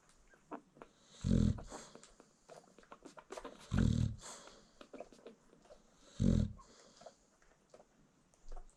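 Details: Low, throaty snores from a sleeping American Bully mom as her newborn puppies feed, three strong breaths spaced roughly two and a half seconds apart, with soft puppy rustling and small squeaks in the quiet gaps.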